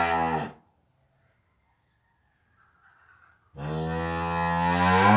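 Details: Cattle on a farm at the moment a newborn calf stands for the first time: a deep, rich harmonic moo cuts off after half a second, near silence follows, then a second long, steady, swelling moo closes the recording.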